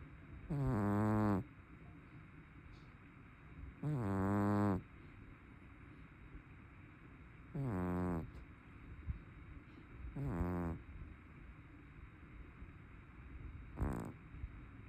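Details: A plump brown tabby cat snores heavily while asleep. Five rough, buzzing inhalations come about every three seconds, the last one shorter and fainter, against a quiet room hum.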